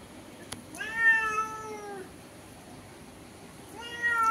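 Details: House cat talking through a window with a black cat outside, indoors, described as angry: two drawn-out, tonal meows, the first lasting about a second and slightly falling, the second starting near the end. Faint room hum.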